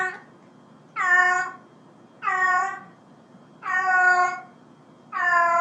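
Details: Four steady, evenly spaced meows from a house cat, each about half a second long and repeated roughly every 1.3 seconds, with quiet gaps between them.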